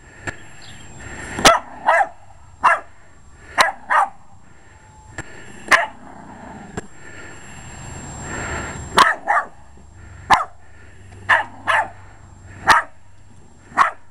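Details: Short-legged Jack Russell Terrier barking repeatedly while attacking a lawn mower, a long run of sharp barks roughly every second, often in pairs, mixed with clicks and a rushing mechanical noise midway.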